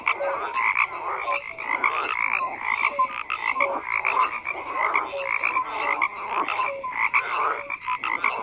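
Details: A crowded frog chorus of harsh, buzzy croaks repeating rapidly and without pause, dotted with brief bright whistled notes, the many callers blending into one continuous throbbing wall of sound.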